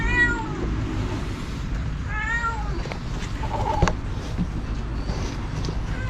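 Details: A stray mother cat gives loud, drawn-out, wavering meows, several in a row, over a low rumble, calling for her kittens in a cardboard box after an approximately 2 m python ate them.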